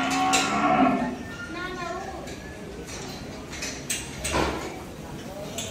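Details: Cattle at Dhaka Agro in Bangladesh, offered for Qurbani Eid 2024: a loud low moo opening the clip with wavering harmonic tones, fading after about a second, then murmured background voices and crowd noise of the cattle market.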